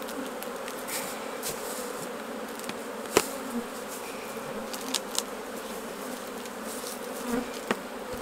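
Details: Honey bees at their hives while honey is taken off during the harvest; a steady, dense droning hum with a few sharp clicks and knocks scattered through it.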